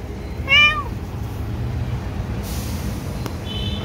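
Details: A single clear, slightly falling meow from a street cat at feeding time, set against low traffic hum, with a brief hiss of noise afterward and a faint high tone near the end.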